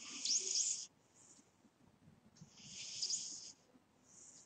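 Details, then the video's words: Sleeping cat snoring: high, airy wheezes through the nose, each about a second long, come roughly every two and a half seconds, with quieter breaths in between. "My Snoring Cat"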